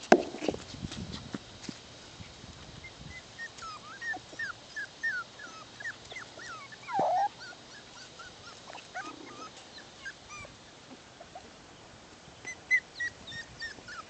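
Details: Bichon Poodle puppies, a litter six weeks old, playing outside: a run of high whines and whimpers, short rising and falling wavering tones with a few yips, plus occasional rustling and thumps of movement.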